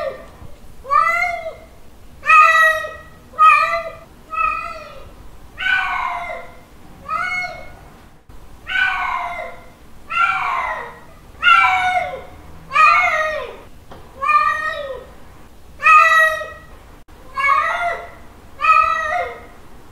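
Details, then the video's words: Male cat giving a mating call to a female, cat in heat: about fourteen loud, drawn-out, harmonic meows in a steady series, each rising then sagging, spaced a bit over a second apart, with a faint low room hum. "Male cat mating call sounds 🤪 Male cat calling female 🤪 Cat in heat sounds"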